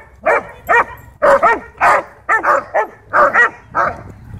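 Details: Ball-obsessed German Shepherd at a dog park, aggressive toward other dogs over toys and space, barking alongside Bodhi; a steady string of about ten loud, harsh barks, some doubled, roughly two per second.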